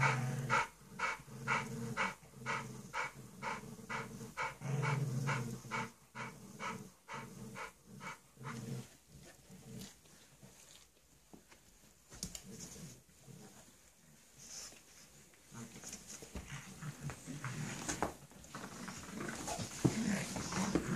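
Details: Bulldog puppy and pug in a play session, rhythmic breathy panting with a low growl underneath for the first half, then fading into quieter snuffles, shuffling and background noise.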